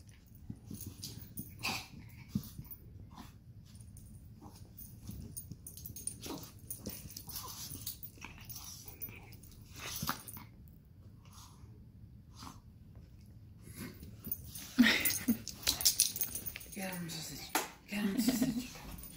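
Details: Sausage and Weenie, a Chug and a Chihuahua, tussle in a mock dog fight: long stretches of soft snuffling and breathy wheezes, then a louder flurry of rough growls and yips in the final few seconds.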